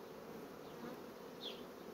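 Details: Honey bees from fast-growing colonies in an apiary, a steady dense hum of many bees with a brief higher passing buzz from a single bee flying close.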